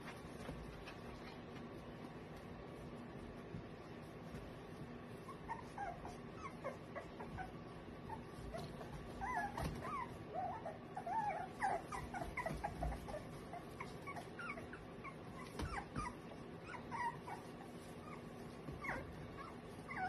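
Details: Eight-week-old American Cocker Spaniel puppies, males and females, give a string of soft, high whimpers and yips.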